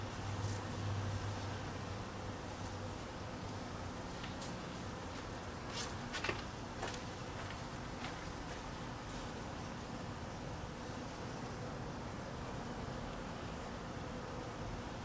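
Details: Honey bees being fed in cold weather, hungry: a dense, steady buzzing hum of many bees with low droning tones, broken by a few sharp ticks and clicks around the middle.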